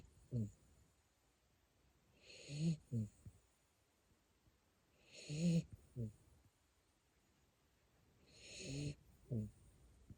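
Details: Siberian Husky puppy asleep in Japan, snoring in a steady cycle: a hissing inhale followed by a low, rumbling double snort, repeating about every three seconds.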